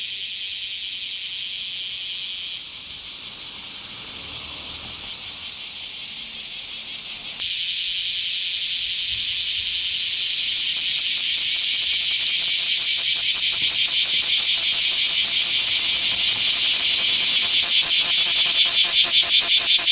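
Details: Bear cicada in a small park, 24 July 2026: a high hissing buzz dips briefly, then builds into loud, distinct rapid pulses that grow stronger and more emphatic toward the end.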